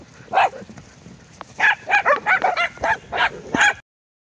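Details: Abruzzese Mastiff at an adoption listing barks in a quick run of about nine short, harsh, mid-pitched barks over four seconds, spaced roughly a third of a second apart, with no other sounds.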